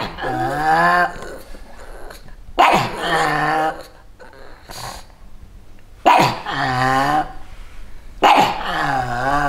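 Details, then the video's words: Pair of pugs in Santa Claus outfits barking and growling at bleating sheep, defending territory: four loud, drawn-out, wobbling barks spaced about two to three seconds apart, with quieter rumbling between them. "Pug dogs Lilly and Lucy barking in Santa Claus costume vs sheep noise"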